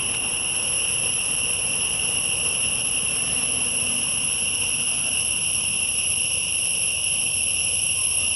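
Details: Insects in a forest of tall trees keep up a continuous, steady shrill drone, layered as several unbroken high-pitched bands with no pauses throughout.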